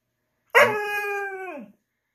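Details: A female Siberian husky gives a single drawn-out, tonal howl that holds steady, then drops at the end. She is "talking" back after being told no, wanting her treat.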